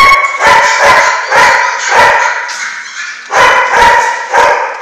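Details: German Shorthaired Pointer puppies from one litter, six weeks old: several overlapping high, harmonic yips and short barks in quick bursts, with a brief pause before a second run of yapping.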